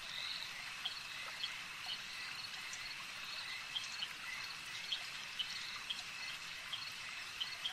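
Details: Frogs at a lake: short, high clicking notes repeat roughly every half second over a dense, steady chorus-like hiss that fills the background throughout.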